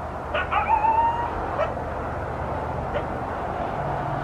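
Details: Coyote calling around 5 am on Christmas morning in southern Arizona, heard through double-pane windows: a rising, wavering yelp sliding upward, then a couple of short sharp yips, over a steady low hum.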